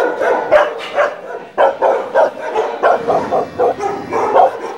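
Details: Dogs named Jeová, Barão and Larika in Brazil, Jeová confronting the others; rapid repeated barks and yips in quick bursts, several per second, with overlapping voices suggesting more than one dog.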